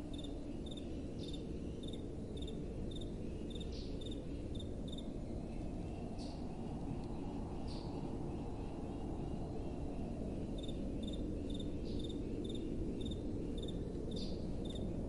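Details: Night-time crickets, faint behind a soft, steady wind: thin high chirps pulse evenly about twice a second, with a few brief rising notes in between, while the low wind roar dominates.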